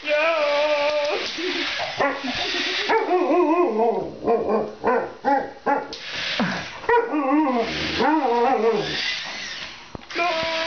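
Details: Alaskan Malamute playing with a remote-control Spider-Man toy gives a run of tonal, wavering woo-woo vocalizations that rise and fall in pitch, strung together with short gaps and a few sharper yips.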